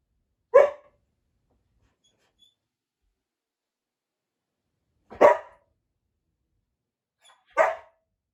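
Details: Samoyed dog facing a deer bone jerky in a wait challenge, holding back from eating; three short, sharp barks, spaced roughly five and two and a half seconds apart, with near silence between them.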